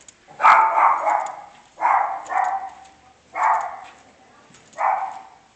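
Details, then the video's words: Dog barking in a steady series of paired, rough, mid-pitched barks, roughly one pair every one and a half seconds, over a slight background hiss. "Dog Barking"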